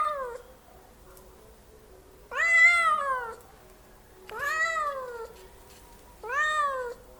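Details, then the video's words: Cat making loud meows: three full drawn-out, slightly falling meows of about a second each, evenly spaced roughly two seconds apart, after the tail of an earlier one, in an otherwise quiet room. "cat animal making loud noise voice meow meow"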